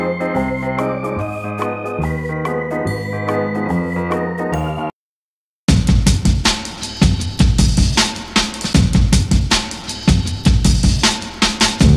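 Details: Steady organ-like keyboard chords play for several seconds before a short silence. Dense music with a driving drum beat follows, and no animal sound can be picked out.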